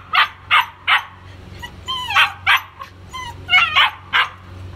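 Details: White German Shepherd puppies yapping in short, high-pitched barks, some with a whining, tonal edge, several a second in irregular bursts against a low background hum.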